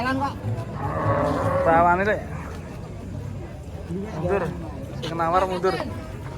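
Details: A long, steady moo from bony, underfed cattle opens the recording, followed by shorter calls interleaved with human speech.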